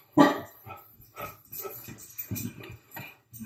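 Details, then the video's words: Pet dog barking at nothing, giving a string of short, rough bursts about every half second, the first loudest, the rest softer and uneven, in a quiet room. "Barking at Nothing"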